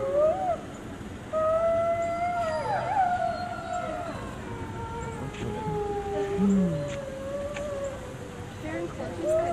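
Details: Several gray wolves at a zoo in Washington, DC howling together in overlapping, wavering notes at different pitches, some sliding up and down, with faint human voices in the background.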